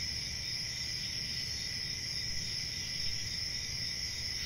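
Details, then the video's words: Crickets at night: a dense, unbroken chorus of high, shimmering trills that holds steady throughout, with a faint low rumble beneath. "CRICKETS AT NIGHT"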